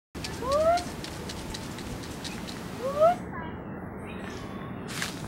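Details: Cat; meow; answering a person calling to it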